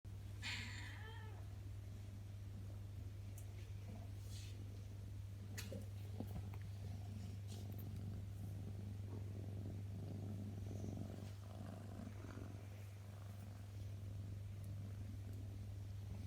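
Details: Birman cat purring indoors, a steady low rumble throughout, with a brief higher meow-like sound near the start and faint clicks and rustles over a quiet room background.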